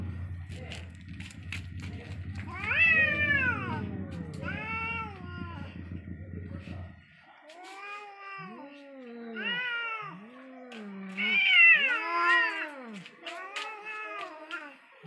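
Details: Angry cats in a fight, trading long arched yowls and moaning caterwauls, repeated bursts that swell and fade, a low rumbling background noise in the first half then clearer calls later.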